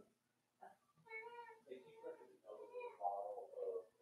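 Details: Young blenheim Cavalier King Charles Spaniel puppies from a litter of five born around New Year's, in an indoor puppy pen; a run of strained, harmonic whining cries follows one another quickly, rising and falling, in a small room.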